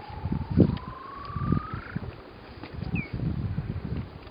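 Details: Weddell seal asleep on Ronge Island, Antarctica: a rising whistled tone lasting about two seconds, then a brief descending chirp, over low thumps and rumbling background noise.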